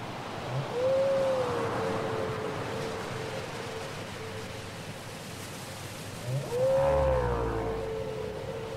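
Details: Whale song from a cassette recording: two long tonal moans, each a short arched rise then a steady held tone, about five seconds apart, over a low, rushing underwater hiss.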